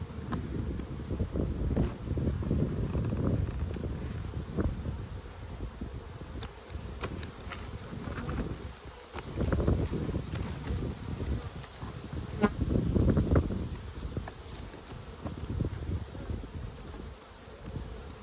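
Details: Honey bees in a strong colony during a food dearth, buzzing as a hive is opened for inspection in Australia in February: a steady low drone with surges and rustling handling noise, colony numbers low, temperament good.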